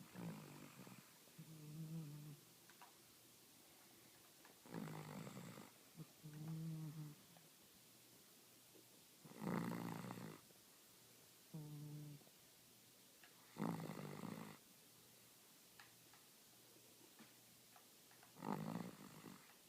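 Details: A Cavalier King Charles Spaniel snoring on a couch, in slow, rasping breaths that come roughly every four to five seconds.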